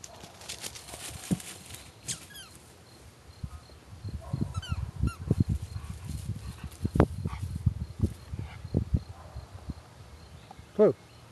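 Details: Blue, a two-year-old Weimaraner, searching outdoors for his favorite retrieve bone. Rough, rapid breaths come in a dense run of bursts through the middle. Short bird chirps sound early on, with a brief human voice near the end.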